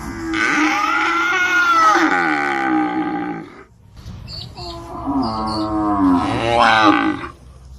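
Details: Cow mooing in an 8D-recorded sound effect: a sustained lowing call of about three and a half seconds, a short pause, then a second rising-and-falling moo ending in a strained, rougher finish.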